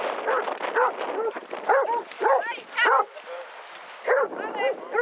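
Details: Basset Hounds among a group of 22 on a walk round Hazlehead Park, Aberdeen, Scotland, on 2 February 2014: bursts of short, arching, tuneful bays and barks, several in quick succession with brief pauses, voices of people in the background.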